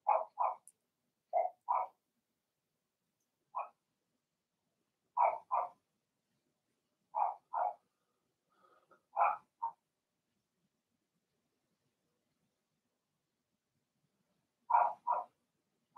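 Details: Cavalier King Charles Spaniel puppies, Blenheim litter of six, in their puppy pen; high, short yaps mostly in pairs, bursts separated by pauses of one to five seconds, otherwise quiet.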